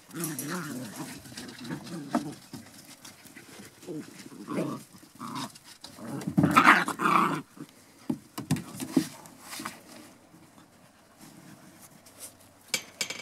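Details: Seven-and-a-half-week-old Border Collie puppies from one litter growling and grumbling in rapid, uneven bursts, with one sharper yelp in the middle and soft background rustling.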